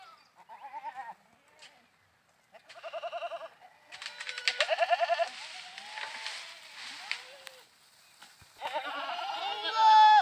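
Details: Goats while playing, giving a string of short quavering bleats that overlap and crowd together, some rising and wavering, ending with a louder, higher bleat.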